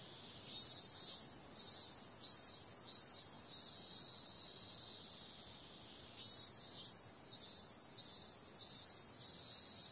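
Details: Summer night cicadas: a constant piercing drone swells into regular loud pulses, four in a row near the start and again after a stretch of even buzzing.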